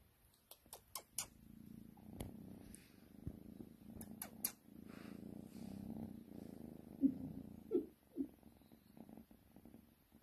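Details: A cuddling pet cat purring in a low, continuous rumble, broken by brief clicks and taps early on and a few louder soft bursts toward the end.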